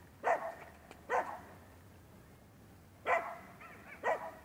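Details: Rough Collie puppy named Manakel Lakefield Talking Blues barking in a training session, 13 April 2015: four bright, abrupt barks, two near the start and two after a pause, over a faint background hum.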